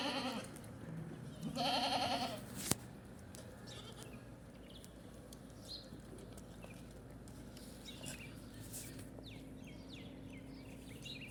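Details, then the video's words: Ten baby goats drinking milk; one loud, wavering, harmonic-rich bleat lasting about a second near the start, followed by quieter shuffling, soft clicks and low steady background noise. "10 BABY GOATS DRINKING MILK | RELAXING SOUNDS."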